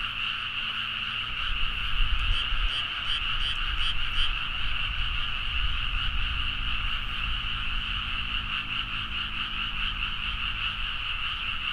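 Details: Frogs calling en masse at midnight in paddies of Nagaoka, Niigata, Japan, Zoom H4n recording: dense continuous croaking, with a run of sharper rapid repeated calls standing out in the first half, over a low rumbling background.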